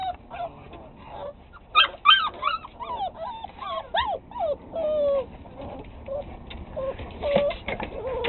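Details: Several six-week-old pit bull pups yipping and whimpering in rapid, uneven bursts, short high squeaky notes often rising then falling, many voices overlapping over a low background hum.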